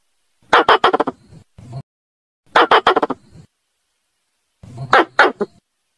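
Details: Squirrel calling a female: three separate bursts of rapid, harsh chattering clicks, each of five or six dry pulses ending in a softer low grunt, with silent gaps between bursts.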